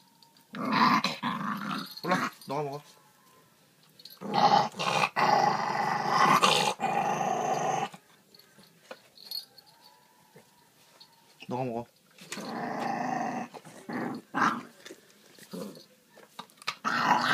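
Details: Pet dogs fighting over jokbal, pig's trotters, with rough, harsh growls that come in loud bursts lasting a few seconds each, separated by quieter gaps. A person scolds them in Korean between the growls.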